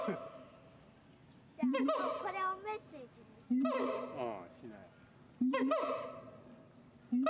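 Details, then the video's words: Siamang, locally called kera gondok, giving loud, harmonic calls that sweep upward and then fall, starting abruptly about every two seconds with quieter pauses between. "SIAMANG SUARA KERA GONDOK"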